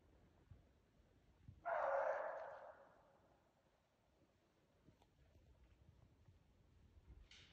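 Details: Norwegian Elkhound Stella barks at a yearling moose cow that will not stand still, after running it for a couple of hours on a hunt. A single loud bark lasts about a second, followed by quiet with faint rustling.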